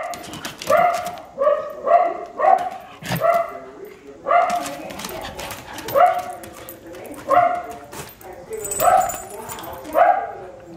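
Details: Wire Fox Terrier, a rescued female from a puppy mill, with a male trying to get her to play; bright, harmonic barks or yips repeated roughly once a second in an even series.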